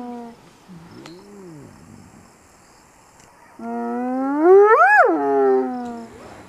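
A spotted hyena gives a loud, rich call that swoops upward in pitch and then falls away.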